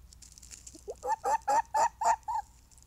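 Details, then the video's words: Fox vocalising: a quick run of six hoarse, yelping barks, each rising then falling, spaced about a quarter second apart and getting louder, then stopping abruptly; quiet background. "Vocalising fox"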